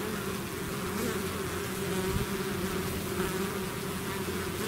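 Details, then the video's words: Bees swarming out of their hive make a dense, continuous buzzing drone with steady low hum bands and a shimmering hiss above, holding at an even level throughout. "bees therapy swarm natural buzzing sound"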